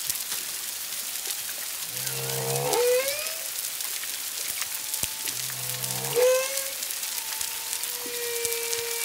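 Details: Song of humpback whales near Culebra, Puerto Rico, February 25, 2022, 1–2 miles distant, at least two animals: two stacked low grunts, each sweeping sharply upward into a whoop, then level drawn-out tones amid constant crackle.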